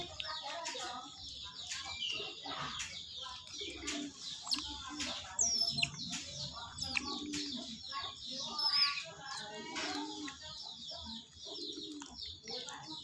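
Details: Otters calling while being fed, with busy high-pitched chirping and squeaky twitters from several animals, broken by short clatters and a few thin, rising squeals.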